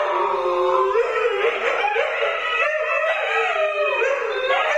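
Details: Siberian Huskies Luna, Gizmo and Arya with their puppies howl together in a chorus of overlapping, wavering tones that rise and fall, several voices layered continuously throughout the stretch.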